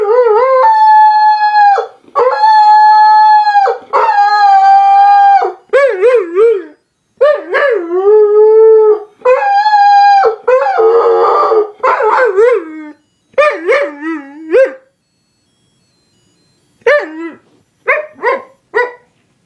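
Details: A Weimaraner "sings" along to the pipe-band tune Scotland the Brave, howling in long, wavering notes that rise and fall.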